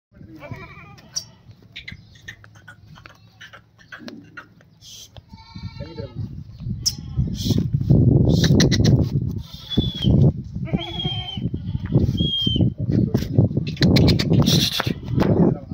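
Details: Beetal female goat with her four kids in Hanumangarh, Rajasthan: wavering, harmonic bleats early on, then loud human voices talking over further short bleats.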